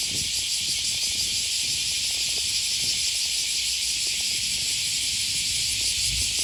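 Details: Cicadas calling on an early August morning beside the Okawa River near Sakuranomiya Park in Osaka, Japan. A dense, unbroken high-pitched buzzing shrill fills the air, with faint low traffic rumble beneath.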